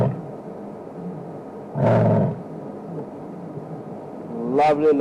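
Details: Limping female lion of the Nkuhuma pride calling on a cold late evening at Djuma Game Reserve, 15 September 2007. A single short, deep, rough burst near two seconds rises over a steady low rumble, and a brief harmonic sound follows near the end.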